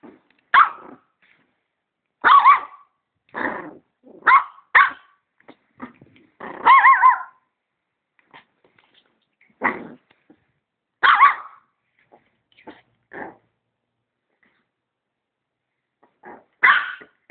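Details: Dog barking repeatedly at a vacuum cleaner in an irregular series of loud, harsh barks, some doubled and some drawn out, with brief low grumbles in the gaps.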